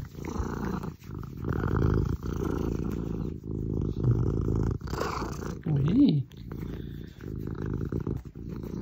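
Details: Female Maine Coon purring while cuddled in a Normandy home shared with four other Maine Coons; deep, resonant purr in rhythmic bursts about a second long, broken by short breaths, with a brief higher squeak near the end.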